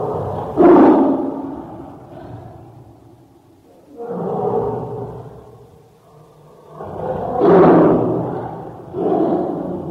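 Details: Tiger roaring, one of a series of calls given when happy, sad, hungry or angry. Four rough, throaty roars. Two start with an abrupt, loud onset and two are longer and drawn out, separated by quiet gaps.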